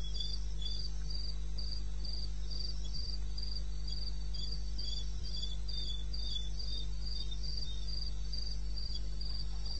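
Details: In the wild of eastern Botswana at 2:30 AM, 21 May 2016, a cricket keeps up crisp, evenly timed high chirps close to four per second, accompanied by a quieter lower chirping insect and a constant low rumble.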